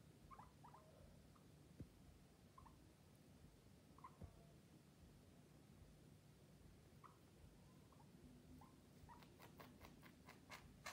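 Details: Several guinea pigs indoors giving short, soft squeaks and chirps scattered through the recording, mostly quiet, with a run of sharp rapid clicking or tapping near the end.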